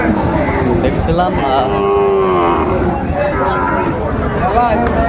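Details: Sahiwal bull at a cattle market in Chattogram, Bangladesh, 6 January 2025, where a farmer buys a top bull: a single drawn-out, slightly wavering moo in mid-clip, amid constant crowd chatter and vehicle noise.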